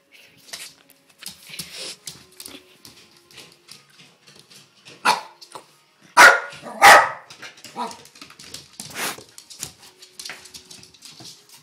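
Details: Indoors, a dog's barking comes in a cluster of three or four sharp barks mid-way, with quieter yips, soft room rustling and faint background murmurs around them.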